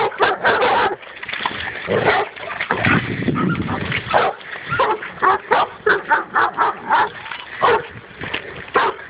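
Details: Dog confronting a wild boar for the first time: dense, agitated barking and yelping, with a lower rumbling stretch early on, then evenly spaced sharp barks.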